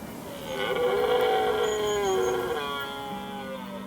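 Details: A red deer stag bellows during the rut (mid-September to mid-October) in Limousin, France, a drawn-out, harmonic roar that sags slightly in pitch; stags here now bell mostly at night, hidden in the woods.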